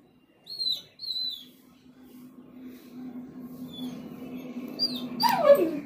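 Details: A German Shepherd and Rottweiler mix dog, excited on realizing it is going outside for a doctor visit, gives two thin high whines, then a short whine and a sharp yelp near the end over a steady low hum.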